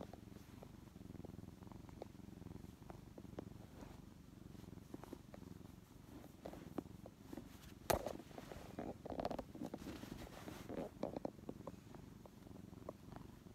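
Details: Brown tabby kitten, rescued weak and collapsed in late May 2015, now grown yet still snuggling affectionately on a lap indoors; a steady low rumbling purr runs throughout, with a few soft thumps and rustles of movement.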